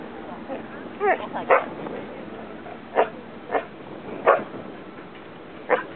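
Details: Samoyed dog, highly excited by fireworks at the Miare festival in Japan; four sharp, loud barks spaced one to two seconds apart over steady crowd and background noise, with a brief voice near the start.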